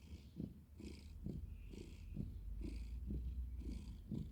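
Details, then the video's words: Pet cat purring: continuous low rumble broken into rhythmic breath pulses roughly twice a second, each inhale and exhale adding a faint airy hiss above the deep drone. "Cute cat Fluffy making purring noises"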